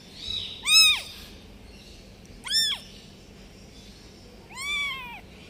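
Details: Newborn domestic kitten, left behind by its mother cat, meowing three times: high, thin arched cries with bright overtones, spaced about two seconds apart over quiet background hiss.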